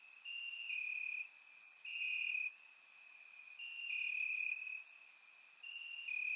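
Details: Warm summer night in Bulgaria with crickets in the grass, surround-miked: long high trills rise and fall in loudness every second or two, a few callers overlapping, brief sharp ticks sprinkled high overhead.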